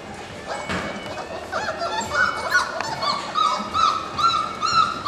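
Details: Litter of 4-week-old puppies, born March 7, 2010, letting out repeated high, upward-sweeping whimpers and squeaks, growing louder toward the end.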